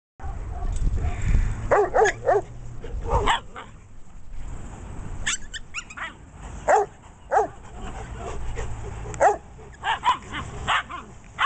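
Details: Puppies playing with adult dogs in Oregon, including Australian shepherd, Chinese crested and black Russian terrier pups aged eight weeks to six months: scattered short yips and barks in bursts, with low rumbling thumps and scuffling between them.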